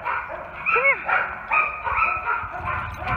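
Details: About three-year-old German Shepherd/Coonhound mix male surrendered after neglect gives a series of high, wavering whines and yips, rising and falling in short bursts, while a person calls him.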